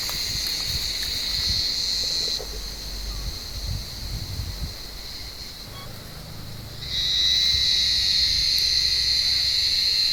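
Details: Cicadas in an olive tree on a warm evening, hunted by blind cats; a high continuous buzz fades and softens midway, then surges back loud and strident, with low rustling beneath.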